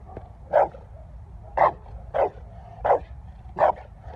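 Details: A Presa Canario gives five deep, gruff barks, about one per second. Each bark is short and forceful, with faint background hum between them.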